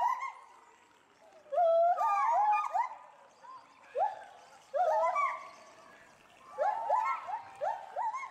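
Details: Pair of captive agile gibbons at Bristol Zoo Gardens, Bristol, UK, loudly agitated by something seen in the bulrushes below. Overlapping rising whooped hoots sweep upward in bursts, with quieter gaps between the outbursts.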